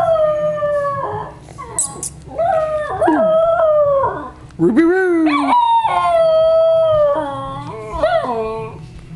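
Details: Howling by a pet schnauzer: a near-continuous run of wavering wails that swoop up and down, with brief dips between phrases and long steady notes in the second half.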